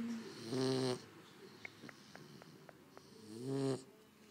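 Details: Cane Corso puppy snoring with open eyes: two long buzzy, vibrating snores about three seconds apart, with faint clicks between them.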